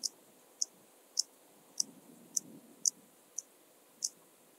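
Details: Eight thin, dry, very high ticks spaced about half a second apart, a rhythmic stridulation by the Intermediate Cross-backed Grasshopper (Dociostaurus brevicollis) recorded in Zalahalap, Hungary, 18 July 2022.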